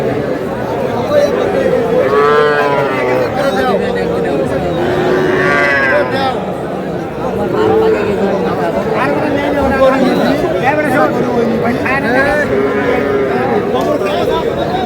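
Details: Young bulls and heifer calves at a Madaripur cattle market in Bangladesh, 25 July: several long, wavering moos recur every few seconds over a busy hum of human talk and haggling.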